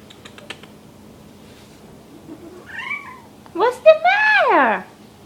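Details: Mr. Whiskers, a rescued male kitten known as a loud whiny cat, wears a diaper indoors for spraying; a short two-note mew, then a loud drawn-out meow sweeping up and falling away, over low hum and light tapping.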